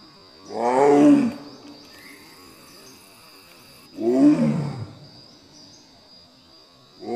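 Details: A female Royal Bengal tiger in Kaziranga National Park calls for a mate with deep, moaning roars, each about a second long, spaced roughly three seconds apart.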